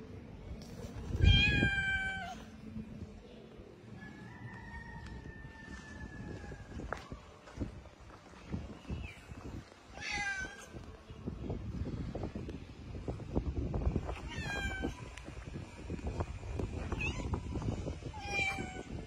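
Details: Street cats, a mother cat and her kittens, mewing repeatedly: bright harmonic meows separated by pauses, some short and rising, others longer and level, over rustling and handling noise, with a person talking softly nearby.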